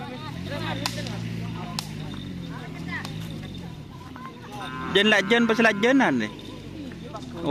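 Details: Bull race cattle practising on the Asemanis ground, Pamekasan, with team Angin Topan: a long, low, wavering lowing moo runs through the first seconds, followed by excited human shouts and clamour over a steady background murmur.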